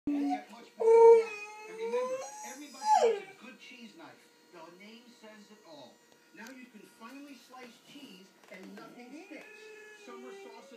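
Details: A 14-week-old Tamaskan puppy, an Alaskan Noble Companion Dog, talking: wavering, harmonic whine-howls that rise and bend over about two seconds, then softer broken grumbles and a final drawn whine, with a person speaking to it.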